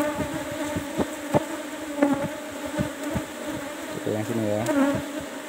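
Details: Honey harvest from a kept Asian honey bee colony, box number 17: constant humming drone under repeated clicks and thumps from handling, with a short spoken phrase near the end.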